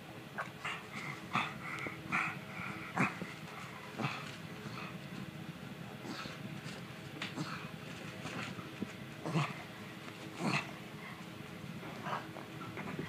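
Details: Stitch, a pug, rubbing and scratching his itchy neck, gives a steady run of short snuffling grunts and snorts, clustered every second or so over a constant background hum, with scratching noises between them.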